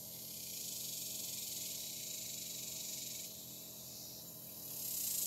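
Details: Cicadas calling on a hot July day, very active: a dense, high, hissing buzz that holds steady, dips slightly after three seconds, then swells louder near the end.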